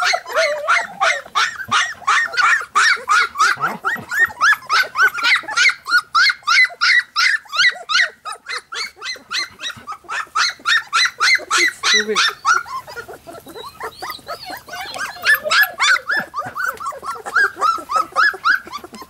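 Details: Three-week-old Golden Retriever puppies give a rapid, continuous stream of high, squeaky whines and yelps.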